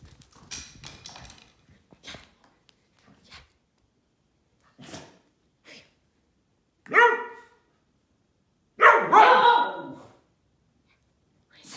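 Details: Silken Windhound barking at a bully stick: two loud harmonic barks around seven and nine seconds, the second longer and rougher, preceded by a few quieter yips and snuffling sounds, in a quiet indoor setting.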